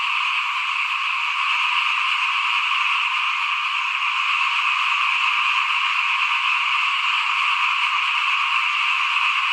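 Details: Frogs in front of a house as rice is sown for the 2021 crop: a loud, close chorus of fast, rapidly pulsing, rattling trills from many callers, steady throughout with nothing else audible.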